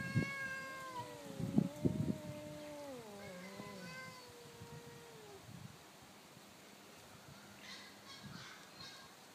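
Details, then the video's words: Two domestic cats, an orange one and a black neighbour's cat from two houses down, in a daytime territorial standoff: long drawn-out yowls sliding slowly downward and wavering for about five seconds, then near silence with faint background noise. "Two cats arguing"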